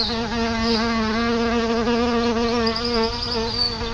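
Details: Wild solitary bees flying around their nest beside a house; a close, continuous droning hum with gently wobbling pitch, sustained throughout without pause.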